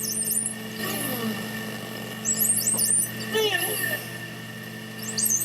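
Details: Two pairs of male bottlenose dolphins compete, giving high, shrill screeches and squeals in tightly coordinated, synchronized bursts over a steady hum.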